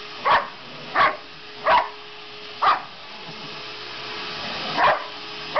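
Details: Barks from Sasha, a dog upset by the household vacuum; four evenly spaced barks roughly every 0.7 seconds, a gap, then two more, all over a steady motor drone.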